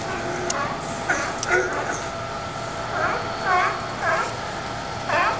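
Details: California sea lions of the colony on the Pier 39 docks in San Francisco give hoarse, honking barks in short bursts over a steady background murmur.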